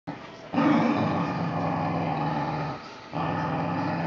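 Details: Whippet making a loud, sustained, rumbling growl-like vocalisation, a long continuous stretch broken by a brief pause near three seconds before resuming just as strongly.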